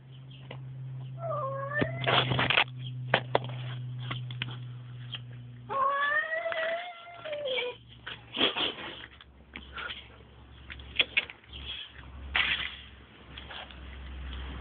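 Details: Male cat making strange noises: short wavering, bending yowls heard twice, surrounded by frequent noisy bursts, knocks and a steady low hum in the background.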